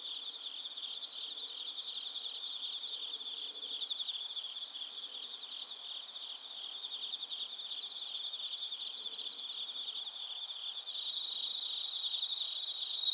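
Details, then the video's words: A chorus of bell crickets and crickets from Narita in Chiba Prefecture, Japan: shrill, rapidly pulsed trills run unbroken beneath a constant high ringing tone, growing slightly louder toward the end. "スズムシとコオロギの鳴き声 - Chirping of crickets"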